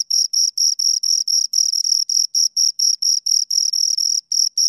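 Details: Two crickets chirping in high, scratchy pulses, roughly four per second. Some pulses run together into longer bursts, so the rhythm sounds slightly uneven and overlapping. No other sounds.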